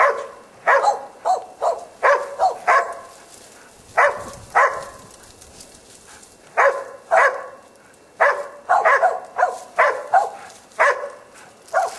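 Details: Korea Tri Hound barking while hunting wild boar. Bursts of rich, mid-pitched barks come in irregular runs, often two or three close together, with short pauses between the volleys.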